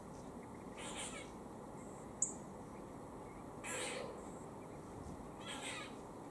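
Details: A squirrel in Cambridge, UK, gives harsh, raspy warning bursts about two seconds apart while eating, on the afternoon of 17 October 2020 around 4:18 pm.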